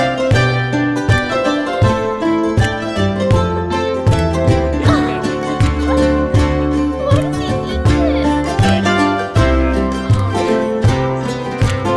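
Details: Bright plucked-string tune, mandolin-like, with a bouncing rhythm and bass notes throughout, no animal voice heard.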